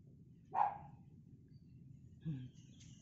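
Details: Seven-week-old poodle puppy giving a single short, sharp yip with a rising then falling pitch, followed by a faint low thump and a quiet background hum.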